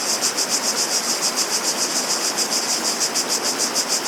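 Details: Cicadas singing outdoors: a high, hissing buzz pulsed in a fast, regular rhythm of about three to four beats per second, continuous throughout, over a broad steady background hiss like running water.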